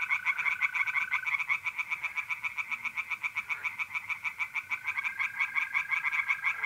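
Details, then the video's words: Tree frogs singing in a pond at night in mid-April, North-East Italy: rapid, harsh pulsed croaks repeated densely for the whole stretch, with a steady high trill of mole crickets running beneath, at first continuous, then pausing and resuming. "relaxing singing tree frogs in pond"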